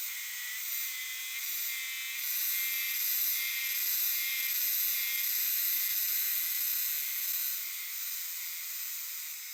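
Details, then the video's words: Chorus of Euterpnosia chibensis cicadas in a shadowy shrine and temple forest: sustained high buzzy drone, rising and falling in gentle waves roughly three times a second, countless callers blending into one unbroken shimmer. "肌にまとわる ヒメハルゼミの鳴き声2"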